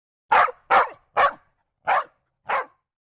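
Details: Dog barking five times, short sharp woofs at roughly half-second intervals, the first three quick and loud, the last two slightly softer after a longer pause.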